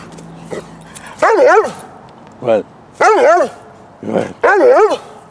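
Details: An 8½-year-old female Bernese Mountain Dog rolling on the ground in cold weather, recorded 11 November 2017. Four wavering, moaning, howl-like vocalisations, each about half a second long and rising and falling in pitch. A person talks nearby.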